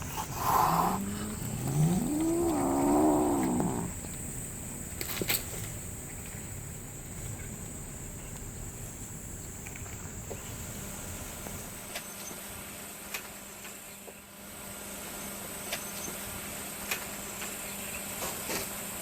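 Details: Slender black female cat snaps angrily after a female Siamese kitten deliberately steps on her right paw, filmed June 2017. A low, wavering growl-yowl rises and falls over the first four seconds, then near quiet with a steady faint hum.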